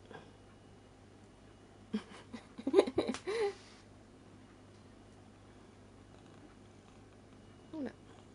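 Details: Seven-year-old female Ragdoll cat playing with and biting her own whisker indoors; a cluster of short, squeaky, wavering mews and chirps midway, then a single brief rising mew near the end, over a low steady hum.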